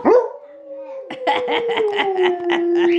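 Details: Alaskan Malamutes, an adult female and a puppy, join in howling with harmonica playing; one long steady howl held for three seconds, slowly falling, while the harmonica's pulsing chords sound alongside.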